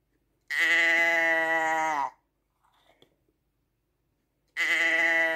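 A sheep gives a long, wavering, nasal bleat lasting over a second, then starts another.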